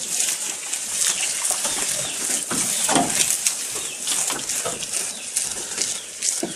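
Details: Goat eating, recorded close up: dense crunchy chewing and tearing noises, broadband and crackly, continuing throughout without pause, with no calls heard.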